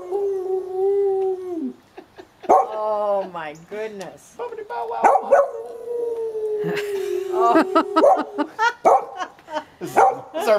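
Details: Gordon Setter, female, howling along with her owner in a morning routine; sustained falling howls and wavering yodel-like notes mixed with human singing and speech, choppy bursts toward the end.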